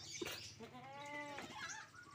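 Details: A collector's unusual pen-kept goat lets out one drawn, quavering bleat of under a second. Faint bird calls and a low background rumble surround it.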